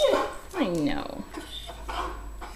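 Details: A male blue Weimaraner, a foster rescue dog, whines in high, wavering yelps that rise and fall at meal time, impatient while his food soaks.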